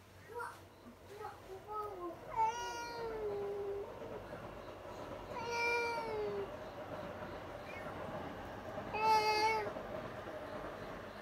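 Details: Indoor pet cats scream on spotting another cat outside; three drawn-out harmonic yowls, each about a second long, wavering and falling, spaced roughly three seconds apart, over a steady background hum with soft human voices early on.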